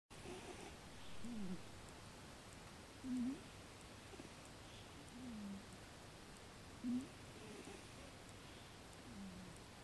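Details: Neko, a sleeping cat, snoring softly indoors: low, nasal, slightly wavering snores recur about every two seconds, five in all, over a quiet room hiss.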